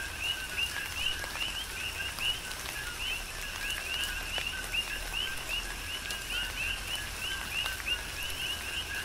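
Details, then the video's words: Coqui frogs chorusing during a tropical rain shower on the Big Island of Hawaii: many overlapping short rising two-note chirps, densely repeated, over steady patter of rain and raindrops. "Tropical Rain & Coqui"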